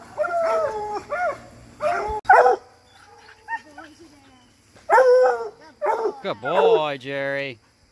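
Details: Coonhounds, bluetick and black and tan, during raccoon-hunting training: bursts of baying howls and barks in clusters, a quieter stretch in the middle, then a resumed chorus ending in a long wavering bawl.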